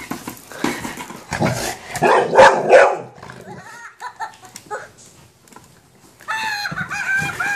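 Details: Golden retriever meeting a minion toy for the first time gives a cluster of rough, loud barks around the middle, with quieter rustling before and a tonal, toy-like voice near the end.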